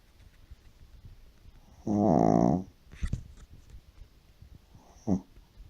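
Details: Shih Tzu sleeping deeply indoors, snoring like an old man: one loud, harsh, rasping snore lasting under a second, followed by faint clicks and a much shorter second snore near the end.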